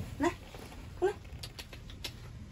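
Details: Hungry Rottweiler puppies, eleven in all, during group deworming, whining and jostling for food: two short, high, sliding whimpers almost a second apart, with soft patter and light background noise between them.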